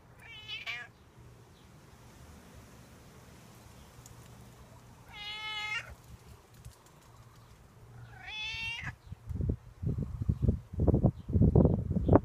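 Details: Stray outdoor cat that waits each morning and evening asking for milk: three loud, harmonic meows, the last slightly rising, then a run of low thuds and rustling handling sounds.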